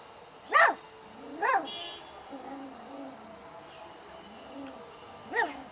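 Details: Puppies cry for their mother, hungry and wanting milk: three sharp, high whimpers that rise and then fall, spaced about a second apart or more, with softer, lower moaning whines in between.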